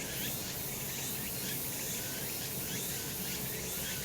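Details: Cicadas on a sunlit summer mountain, an unbroken shrill drone with gentle waves of pulsing in the high buzz and a quiet low hum underneath.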